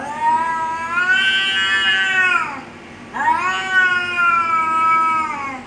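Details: Domestic cats in a fight give drawn-out, wavering threat yowls. Two long moaning cries are split by a short pause, each swelling and then dipping in pitch, loud and harsh.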